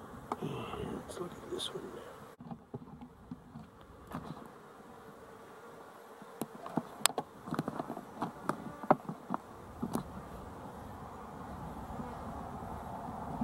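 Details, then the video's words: Honey bees recorded 12-11-23, a dense low buzzing hum throughout, broken by a brief drop near two seconds, with scattered sharp clicks and taps in the second half. "Honey Bees for Fun"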